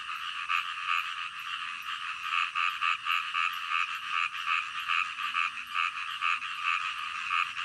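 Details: Frogs at night giving rattling, ratchet-like croaks in a rhythmic series, several callers blending into a steady buzzing chorus.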